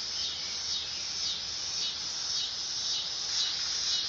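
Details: A shrill, continuous buzz from a dog-day cicada, throbbing in soft regular waves roughly twice per second over a brief, unbroken run.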